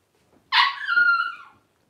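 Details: Twelve-day-old Blenheim Cavalier King Charles Spaniel puppy from a litter of five born around New Year 2023; one sharp cry swelling into a drawn-out, slightly falling whine of about a second, indoors with otherwise quiet surroundings.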